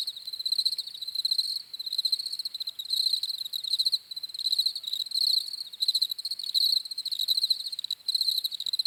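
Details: Several crickets chirping, shrill rapidly pulsed bursts repeated about 80 times a minute, irregular in timing and overlapping, high-pitched with ringing overtones.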